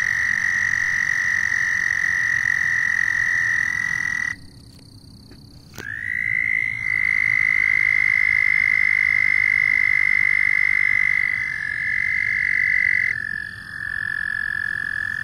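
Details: Loud frogs calling in long, even, high trills; one trill stops, leaving a brief near-silent gap, then another caller starts with a quick upward slide and holds a steady tone, followed by a slightly lower trill.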